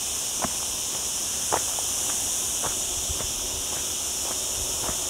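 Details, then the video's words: A continuous shrill buzz of cicadas fills the olive groves of lower Sierra Llana, beside a town, on an overcast day in a hot week, while footsteps crunch now and then on the trail. "Olive Trees and Cicada Sounds"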